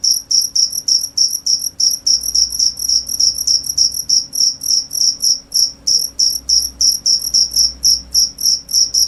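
A cricket chirps steadily, short high pulsing bursts repeated about three times a second.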